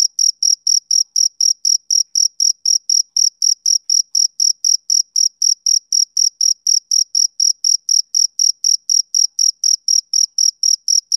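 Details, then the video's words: Male cricket chirping on a summer evening, an unwavering rhythmic stream of high, metallic pulses about four per second, very regular and loud, alone in the recording. "Cricket Chirping Sound Effect"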